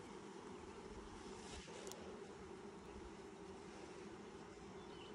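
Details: Honey bees during a first hive inspection in 2020, six days after the nucs were installed; a steady, even droning hum from the colony runs the whole time with little change, under faint outdoor background noise.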